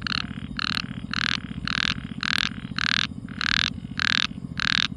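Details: A frog calling in the quiet night gives harsh, raspy croaks in a steady series, about two each second, over a low buzzing hum.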